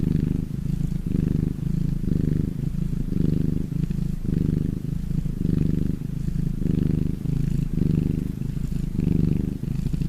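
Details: Cat purr during a cozy evening at home, low and vibrating, pulsing in even breath cycles about every second, with faint rustling above it.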